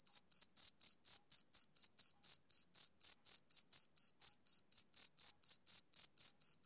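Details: A male cricket calling on a summer evening with sharp, piercing chirps at a steady pace of nearly four per second. No other animals, wind or people can be heard.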